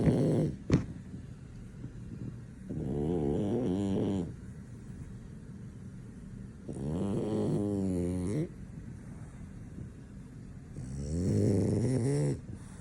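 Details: French Bulldog fast asleep, nothing waking him; three long rasping snore bouts, each about one and a half seconds, separated by quiet pauses, with a sharp click near the start.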